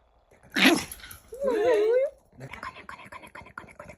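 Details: A Maltese dog lets out a sharp, noisy burst, then a drawn-out, wavering whine rising and falling for under a second, followed by a run of quick, soft, rhythmic huffs.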